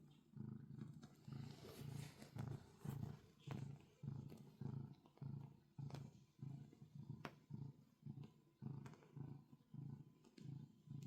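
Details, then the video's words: A pet cat kneads on a bed and purrs steadily; low, vibrating rumble pulsing in regular in-and-out breaths, close up, with faint soft rustles from the paws. "Kneading and Purring"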